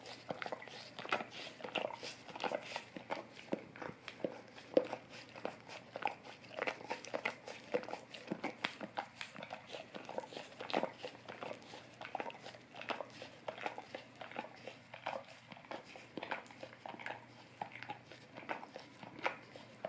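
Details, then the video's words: A Golden Retriever works its tongue over an Orapup tongue cleaning brush in a dog ASMR session. Dense, steady run of moist clicks and slurps, nearly continuous with small pauses. "Golden Retriever Licking Orapup Tongue Cleaning Brush"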